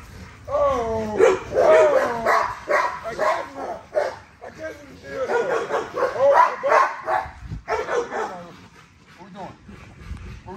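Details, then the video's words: Repeated yipping barks and whines in irregular bursts from Nyla, a female XL American Bully with ghost tri colouring, being exercised; a person speaks now and then and music plays. "XL Ghost Tri American Bully Workout"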